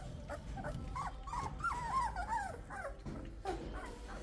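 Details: Three-week-old Australian Shepherd pups whining together: short, high, tonal squeaks and whimpers, some rising then falling, overlapping in quick succession throughout, over a low steady background rumble.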